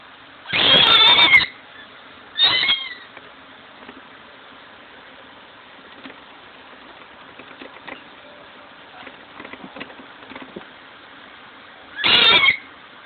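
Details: Pet fennec fox, upset after a bath while trying to dry himself off, giving loud harsh high-pitched yells: a long scream, a shorter one two seconds later, then another near the end, with quiet rustling between.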